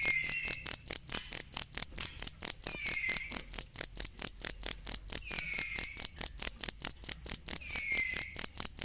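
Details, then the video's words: Cricket sound for training songbirds (masteran): a bright, high, metallic chirp pulsing steadily over twice per second, accompanied by quieter down-slurred whistles at intervals of about three seconds. "ASLI SUARA JANGKRIK BUAT MASTERAN BURUNG"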